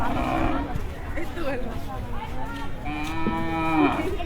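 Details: {'text': "Cattle arriving at night, between two and three o'clock, at a Dhaka cattle market before Qurbani; a long, deep, drawn-out moo with rich harmonics near the end, over men talking and crowd bustle."}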